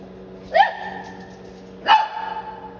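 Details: Indoor Shih Tzu puppy in San Antonio, Texas, barking twice, each a short, bright yip-like bark about 1.3 seconds apart, with a constant low hum behind.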